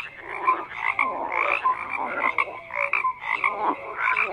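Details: Frogs croaking in a dense chorus, overlapping raspy pulsed croaks with bright tones near two kilohertz and short whistled notes lower down, calls rising and falling in clusters about every half second with no gaps of silence.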